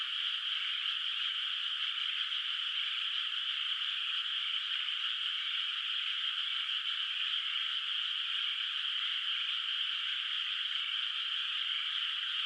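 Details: Frogs at night in a rice field under moonlight, countryside setting with open water before planting; a thick, constant chorus of distant calls blends into one steady rattling hum.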